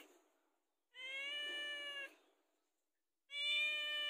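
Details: House cat pleading for food with two sustained, even-pitched meows, the first over a second long, the second starting loud near the end.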